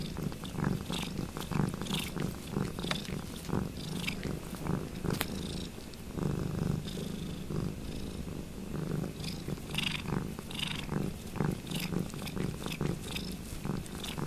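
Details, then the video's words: Cat named Ruby Kitty purring noisily while washing another cat Lugosi's foot indoors: steady low rumbling purr in rhythmic pulses, mixed with wet slurping licks and clicky tongue sounds throughout. "Ruby Kitty washes Lugosi´s foot, purring noisily"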